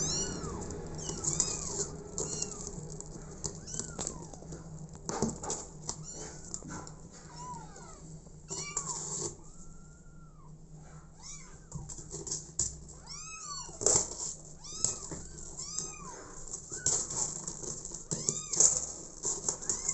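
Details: Abandoned kitten adopted by mother cat Smokey, meowing over and over in short, arched, high-pitched cries that rise and fall, some longer and wavering, with tapping and rustling noises throughout.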